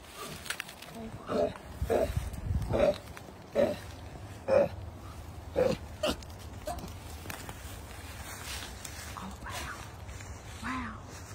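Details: A baby koala about the size of a tennis ball, fallen from his mother into a hedge, calls her down from her tree with short, nasal, squealing cries about one a second; she came down and collected him. Adelaide, Australia, August 2021.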